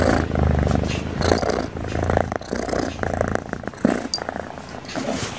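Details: A cute cat snoring steadily in its sleep: low, rumbling buzzy breaths that rise and fall about once a second, with a little background noise between breaths.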